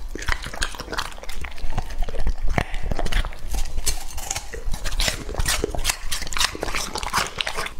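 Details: English-line Labrador Retriever Lucky, two and a half years old, feeding on raw meat; rapid sticky chewing and lip smacks in quick repeated bursts, occasional bowl knocks.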